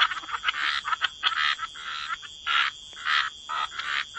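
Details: Croaking frogs near water give separate, raspy bursts about every half second, some doubled, over a constant thin high-pitched tone.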